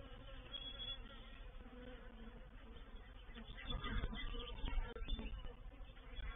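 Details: Reproductive swarm of honey bees moving into a bait hive, or swarm trap, at Painted Peacock Manor on 04/07/21: a dense, steady low hum of many wings, growing louder and rougher in the second half with scattered crackling bumps.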